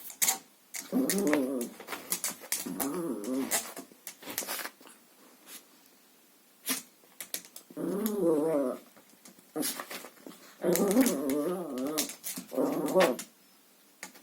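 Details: Chihuahua indoors playing with a vacuum cleaner hose, giving wavering, rumbling growls in bursts of about a second, separated by short pauses and clicking, knocking sounds of play.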